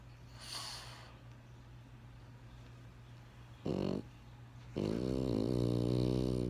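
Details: Benjamin, a French Bulldog, sleeping: a faint hissy breath, then a short nasal snort, followed by a longer grumbling, vibrating snore of nearly two seconds, indoors with low background hum.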